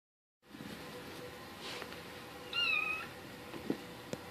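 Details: Seven-week-old Bengal kitten indoors giving a single thin, high-pitched mew lasting about half a second, fairly even with a slight wavering dip, against quiet background hiss and a few faint clicks.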